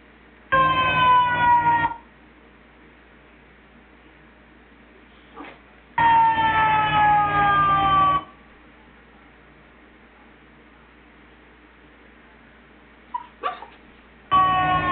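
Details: Dog howling in answer to a fire truck siren: three drawn-out, slightly falling tonal howls of about two seconds each, separated by quiet pauses broken by a couple of brief faint sounds.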